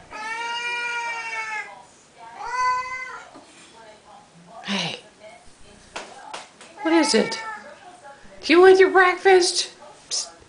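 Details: Siamese cats indoors at their daily feeding time, calling with long harmonic meows that open the stretch, followed by shorter cries, clattering and a person speaking about breakfast.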